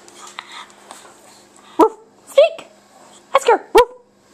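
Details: Oscar, a fat pug indoors, barks on being told to speak: four or five short, sharp barks in quick succession, with a pair close together near the end, between quiet stretches of a person's murmuring voice.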